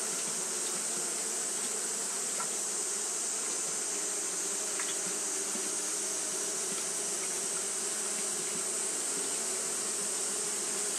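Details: Japanese honey bees fanning nonstop on a hot day produce a steady, grainy buzzing drone, with occasional tiny clicks and a bright constant high hiss.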